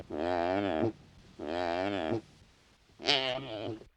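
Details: Wildebeest calling in the wild: three nasal, harmonic moaning calls, the first two under a second long and evenly pitched, the third shorter and higher, separated by brief pauses with no other clear sounds.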